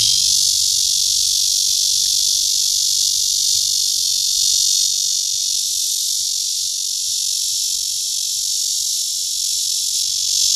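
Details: Unbroken high, hissing drone of a Cryptotympana holsti cicada seeking a mate at Guangming Park, Zhongli, Taiwan, pulsing rapidly and evenly at steady loudness for ten seconds, with little other sound.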